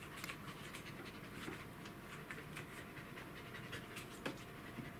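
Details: Welsh Corgi dog, recorded 2 July 2016, panting steadily: rapid breathy huffs repeat several times a second as soft airy bursts over a low hum, with a faint steady tone in the background.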